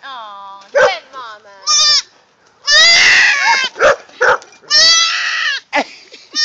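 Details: Four-hour-old baby goat looking for its mother, bleating loudly in harsh, trembling cries broken by short gaps, while a person talks softly nearby.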